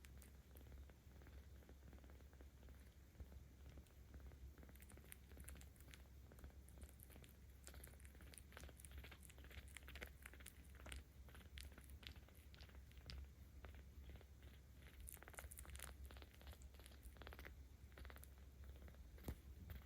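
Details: Petted 17-day-old kitten Ao-chan, in volunteer care in Tama City, Tokyo, October 2022, keeps up a continuous deep rumbling purr that grows louder under stroking, overlaid by frequent faint crackles and brushing noises from hands and fur.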